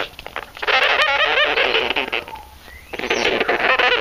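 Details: Two newly adopted pet sugar gliders, angry and unhappy at being filmed, give harsh, buzzy, rapid chattering, a continuous grating noise with a short lull midway before resuming.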